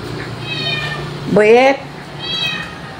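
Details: Domestic cat calling for its owner's attention: one loud harmonic meow near the middle, rising then falling, about half a second long, with faint quieter meows before and after and soft music in the background.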